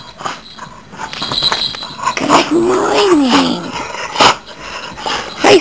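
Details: Greeting his owners in the morning, Dakota, a male Chesapeake Bay Retriever whose smiles make him sneeze, gives a soft rising-then-falling whine amid breathy snuffles, followed by two sharp sneezes near the end.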